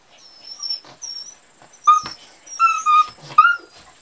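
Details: Kuvasz puppies at 38 days old, recorded on 21 July 2014; high thin whimpering yelps, rising then falling, in short bursts about every half second, with a faint steady hiss behind.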